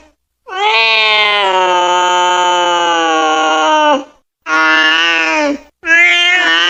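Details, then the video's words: A long, steady, strained meow from a cat lasting over three seconds, followed by two shorter meows of the same flat, rich tone, in a quiet setting. "Cat sound or kitten sound cute cats kittens Meow meow meow big sound of cat"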